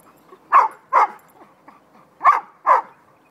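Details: Playing puppies yap in two quick pairs of shrill barks separated by a brief pause, with small soft whines and snuffles in between.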